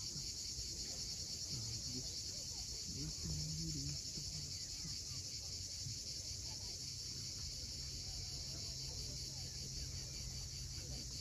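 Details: Cicadas at sunset on the steep coast of Cape Fiolent, Crimea, keep up a steady, high, hissing buzz that never breaks, with a faint low rumble of waves beneath and various birds.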